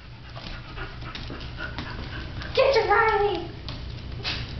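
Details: Female Cavalier King Charles Spaniel puppy, very excited to see her Sheltie companion; a brief, high, wavering whine rises midway, amid soft panting and a person speaking nearby.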